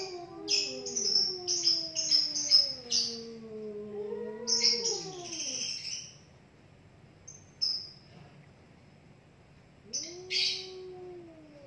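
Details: Two cats in a heated standoff, facing off until one backs down. Long wavering low yowls rise and fall for about six seconds, then return near the end, overlaid by loud bursts of high bird chirps.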